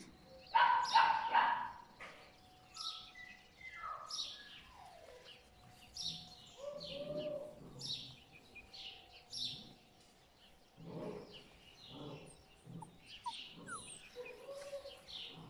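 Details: Puppies from a litter of My Black Butterfly and Bayleys, whining in high, thin tones that slide down, with a loud burst of squeals near the start, then scattered short whimpers and faint high chirps throughout.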